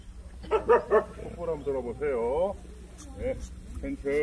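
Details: Jindo barking at the 66th Korea Best Jindo Dog selection contest, in the young female class of a dog show. A few loud, short harmonic barks come early, then an announcer's voice dominates, with crowd murmur behind.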